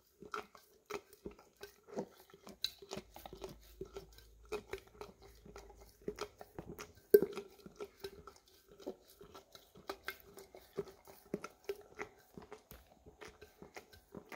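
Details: English cream Golden Retriever indoors licking peanut butter out of an almost empty jar, recorded on a Samsung Galaxy S10e. Wet smacking licks and soft clicks repeat rapidly and irregularly over a faint steady hum in a small room.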